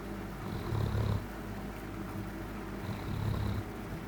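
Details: Male domestic cat cuddling at night makes a snoring, purring noise to show he is happy: a deep, steady rumble that swells louder with each breath, twice in about four seconds, with no other sounds.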